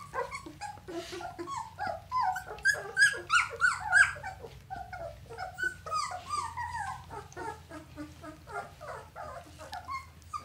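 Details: Whining from a litter of red Standard Poodle pups, two weeks old and born April 10, 2018: a busy jumble of overlapping squeaks and soft squeals, with a low steady hum underneath throughout.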